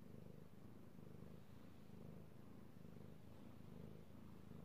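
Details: Domestic cat, male, being stroked and purring, recorded 16 March 2018: soft deep throbbing purr, rhythmic rise and fall of the rumble about every second, close to the listener.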